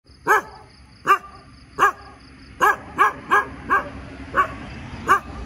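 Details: Dog barking in the morning: nine short, sharp barks in irregular bursts, some spaced nearly a second apart and others in quick runs, over a steady faint high hum.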